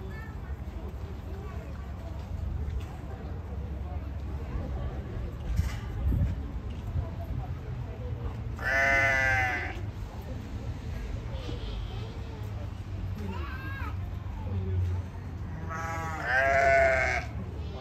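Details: Two wombats, Yuki and Wine, talking a little in the afternoon while Yuki eats leaves: two hoarse, bleating calls about a second long, spaced roughly eight seconds apart, with faint softer notes between and constant low hum.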